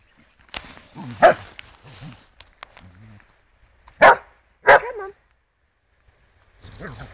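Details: Female Border Collie Florrie playing fetch outside gives a single loud bark, then two more close together a few seconds later, while a person calls praise and encouragement.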